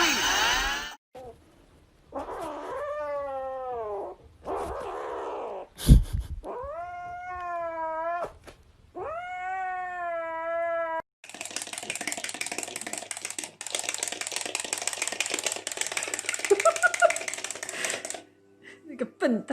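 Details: Cat playing with a toy, giving a run of drawn-out, wavering meows, each rising then falling, roughly one every second or two, followed by a long burst of loud broadband noise and rustling.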